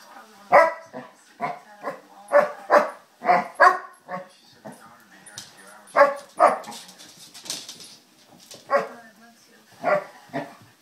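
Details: Two playing 2-year-old basset hounds, one a rescue, give deep loud barks and baying yelps in irregular bursts, roughly every half second to two seconds, with some human speech between the barks.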